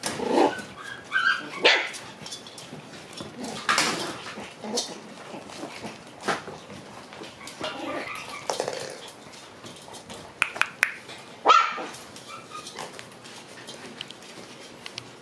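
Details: Young black female Shiba Inu born on 14 June letting out scattered sharp barks and squeaky yelps separated by pauses, with occasional clicks and knocks in between.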